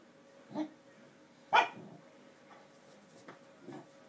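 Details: Basset Hound playing with a hamster rolling in its ball, treating the ball as a toy; two short barks around the half-second and at one and a half seconds, the second louder, then faint scattered sounds.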